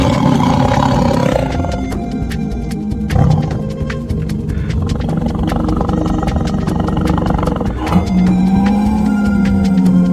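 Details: A small tiger gives deep, rumbling roars and growls, low and rough, rising again near the end, over steady background music.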